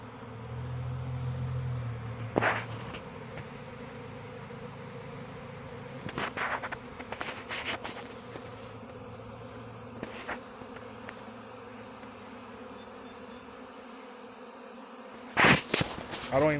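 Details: Honey bee swarm in a back yard, most bees heading to a cedar tree and hanging around it, not aggressive; continuous low hum of wings broken by handling knocks and a few louder close passes.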